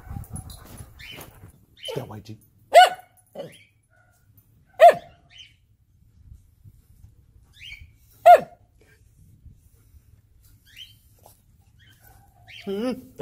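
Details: German Shepherd barking in excitement while annoying its puppies; a few sharp loud barks spaced several seconds apart, mixed with softer whines and quieter yelps, with faint human speech at the start.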